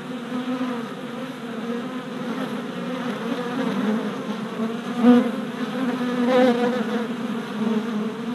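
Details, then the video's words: Honey bee workers circling a newly installed hive on orientation flights in spring; a constant buzzing drone from the crowd, with single bees zipping close by around five and six and a half seconds. "Honey Bee Orientation at Hive"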